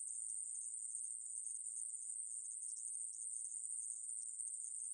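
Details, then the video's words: Conehead katydid (애매부리), National Institute of Biological Resources, 2020: a short run of constant, very high, hissing buzz with an even level throughout. "애매부리, 여러번 듣기, 곤충소리"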